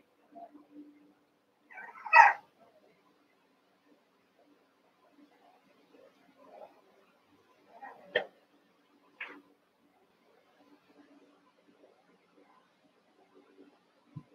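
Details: Cavalier King Charles Spaniel puppies, eight of them, wrestling and playing together in an indoor puppy pen; two short, sharp yelping barks stand out, with a few softer squeaks and scuffling sounds between them in a quiet room.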